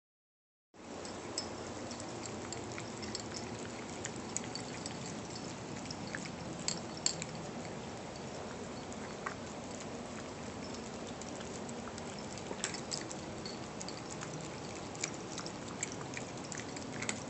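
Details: Several pet cats eating wet food added to their breakfast, one cat absent; steady wet smacking, lapping and chewing clicks run continuously through the recording without any meows.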